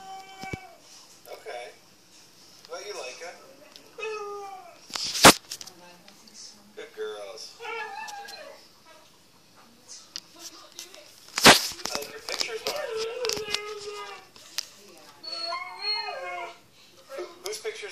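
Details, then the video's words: Two Siberian Huskies playing inside the house: bursts of whiny, yowling, speech-like vocalizations with wavering, rising and falling pitch, separated by pauses, with two sharp loud clacks and some faint background noise. "the talking husky"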